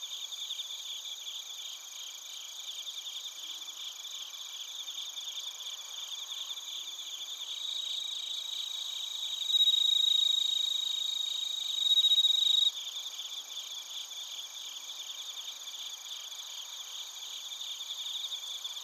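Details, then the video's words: Crickets recorded in Narita, Chiba, Japan on a TASCAM Portacapture X8: bell crickets and field crickets. A steady high pulsing trill continues throughout, and a louder, clearer sustained ringing note rises from about ten to thirteen seconds. "スズムシとコオロギの鳴き声 - Chirping of crickets"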